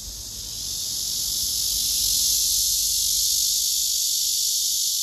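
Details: Singing male cicada on a tree trunk among several gathered cicadas, recorded by phone camera: a continuous high, sizzling drone that swells gradually over the first two seconds and then holds level.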